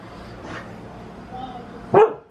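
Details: Husky on crazy zoomies gives a single loud, sharp bark near the end after a quiet stretch of soft room noise and a faint earlier yip.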